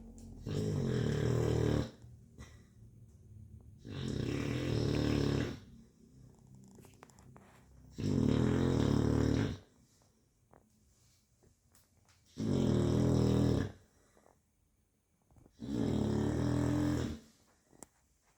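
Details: Chow Chow. A sleeping Chow Chow gives loud, low, rattling snores, each drawn-out breath lasting nearly two seconds. The snores come in a steady rhythm, roughly every three to four seconds, with quiet pauses between them.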